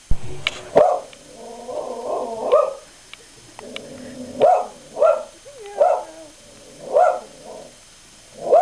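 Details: Dog frightened by its own reflection in a mirror, barking: a short yelp, then sharp single barks spaced irregularly a second or so apart, with some softer grumbling between them.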